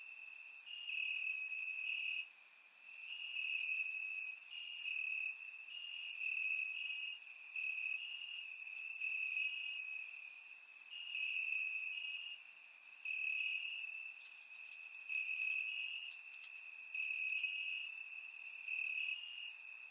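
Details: Crickets chirping in grass on a warm summer night in Bulgaria, a continuous high trilling band broken into pulsed trains with brief gaps, layered with fainter higher-pitched chirps from other insects; steady chorus, no other sounds, recorded with a surround microphone.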